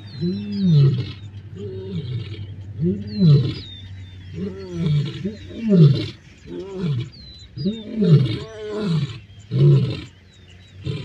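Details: Rival male lions clash in the Masai Mara on 29 December 2023, Black Rock males against Salas males: deep, throaty, arching growl-roars come in bursts about once a second for the whole stretch. Thin whistled birdsong carries behind them.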